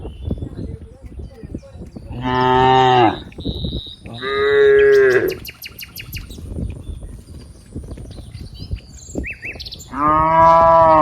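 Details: Cows in green rice fields give three loud, drawn-out, harmonic-rich moos, each about a second long, with quiet gaps holding faint background noise and a few brief high chirps, possibly birds.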